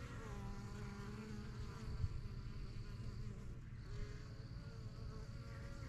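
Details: Honey bees at a busy backyard hive, the strongest yellow box started in spring 2023; low continuous drone with a few distinct passing buzzes holding steady pitches, and a faint high thin whine over the hum.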